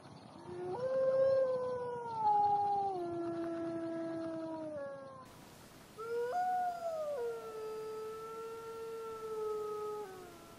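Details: Gray wolf (Canis lupus), howl.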